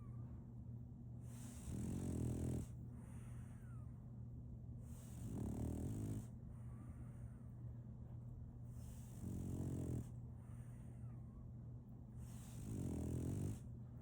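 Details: Solaimy, a female French Bulldog, snores while asleep: deep, rumbling low snores about every four seconds, each lasting roughly a second, over a steady low hum with quiet gaps of breathing between.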